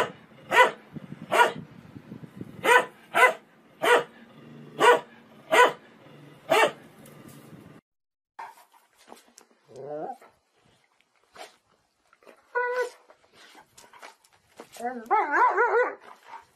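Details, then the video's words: {'caption': 'Dog giving eight evenly spaced short barks over a steady low hum, then after a break a series of higher, wavering whines and yelping calls, ending in a loud warbling howl-like burst.'} "Funny dog barking videos compilation"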